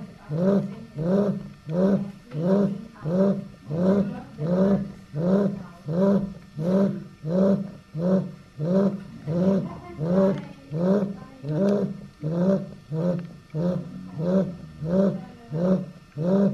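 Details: Eight-week-old female Chow Chow pup named Dai Lan, from the D litter, asleep and snoring in a regular rhythm of low, throaty rasps, over twenty of them at a little under a second each, with no other sounds.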